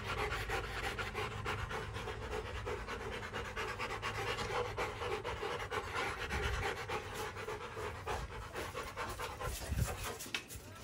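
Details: Rottweiler in its kennel breathing in quick, even, airy pants throughout, with a soft low thud near the end.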